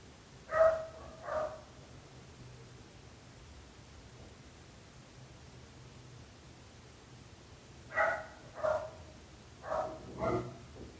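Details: Dog barking, from a long recording of barking dogs complained of as disturbing neighbours: two sharp harmonic barks, a long quiet gap of about six seconds, then a burst of four barks.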